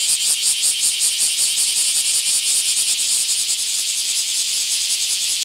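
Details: Bear cicadas during a mass emergence in a park in Akashi, Japan, in July: a dense, loud, continuous high-pitched buzzing chorus pulsing rapidly about two to three times per second without pause.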